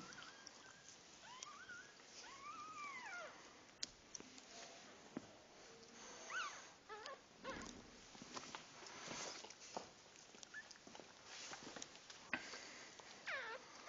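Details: Puppies just after birth make arched, squeaky whimpers, a short series early on and scattered thin squeals later, amid rustling, soft knocks and a constant hiss.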